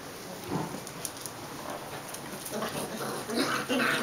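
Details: Welsh Springer Spaniel puppies from kennel Ivančice's litter "Q", 37 days old, playing with half-sister Paloma and aunt Týna; soft scattered whines give way to louder, sharper yips and squeaks near the end over a steady background hiss.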